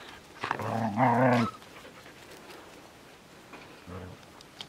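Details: Border Collie puppies on a French farm, eager for attention from adult dogs: a drawn-out whining, whimpering call lasting about a second, then a shorter, quieter whine near the end.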